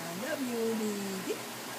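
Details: Yuan, a seven-month-old Alaskan Malamute, 'talking': one drawn-out tonal woo that rises, holds level, slides lower, then flicks briefly upward at the end, lasting about a second over faint indoor background hiss.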